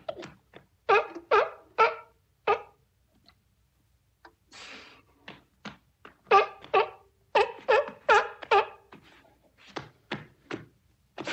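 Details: Beach-recorded sea lions barking in irregular runs of short, harsh, harmonic honks, with a brief breathy hiss in a lull midway before the barking resumes in a denser burst.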